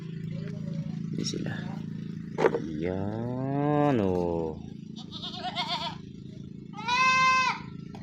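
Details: Pet goats kept at home, heard in the afternoon: a long, wavering, strongly harmonic bleat rising then easing down, followed by a shorter bleat later, over a steady background hum with people talking.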